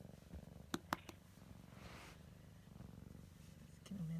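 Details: A Siamese kitten exploring purrs in a fast, even low rumble, with two sharp clicks early on, a soft murmured voice midway and a brief higher tone at the end.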